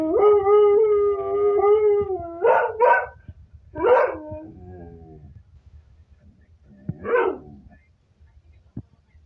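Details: Domestic Kelpie howling at a television: a steady howl for about two seconds, then short broken yips and whimpering howls separated by quiet pauses, with faint background rumble.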